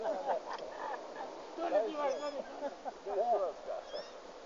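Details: A lost, hungry roe deer fawn in a forest in Sîngerei gives short, nasal, bleating calls that rise and fall, in loose bursts.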